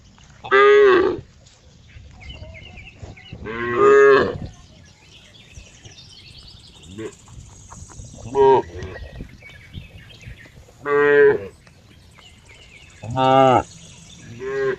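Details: Cow mooing: five loud harmonic moos, each about half a second to a second long, spaced a few seconds apart, with a quiet background between calls.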